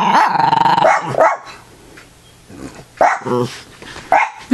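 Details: Playful growling from a pet dog being messed with by its owner, a sustained rasping growl, then short yips, with a man's voice speaking nearby.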